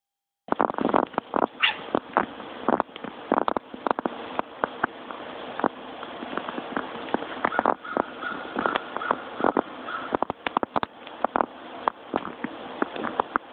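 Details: A domestic house cat watching birds outside chatters in rapid bursts of clicking, ticking sounds with a few short, strained mews.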